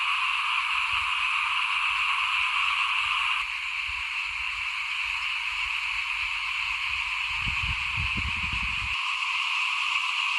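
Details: Frogs calling in front of a house at rice-sowing time in 2021: a dense, unbroken chorus forming a steady buzzing drone at two pitches, with soft low rumbles and thumps underneath, briefly dipping in loudness after a few seconds.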